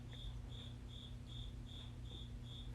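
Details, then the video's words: Indoors, a cricket is heard alongside piano playing. Its shrill, high chirps come in a steady, even series, roughly three per second, over low sustained tones. "i love that you can hear the cricket in addition to the piano still play the"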